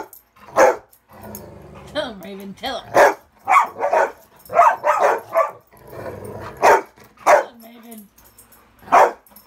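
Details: Ravyn, Kyla and Knight playing inside on a bed because it is muddy outside; sharp high barks mixed with whiny, wavering vocal sounds.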